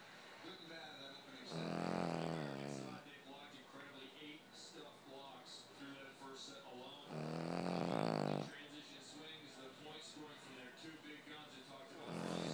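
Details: Sleeping Boston Terrier giving deep, rumbling, engine-like snores, three strong rattling inhalations roughly six seconds apart with quieter wheezy breaths in between.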